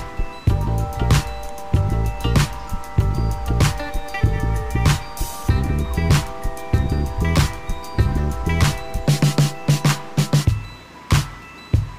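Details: Loud rhythmic music with steady bass beats and sustained tones throughout; no animal voice evident.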